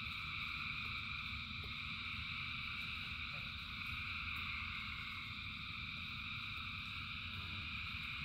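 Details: Countless frogs call at once during rain, their voices merging into a steady, pulsing high-pitched drone, with the low patter and roar of rainfall running beneath.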